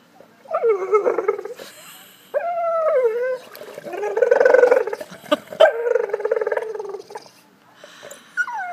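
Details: Golden Retriever named Piper whining for a ball in a pool; repeated high, wavering whines with bright harmonics, some falling and rising, broken by short gaps, with faint clicks and background noise.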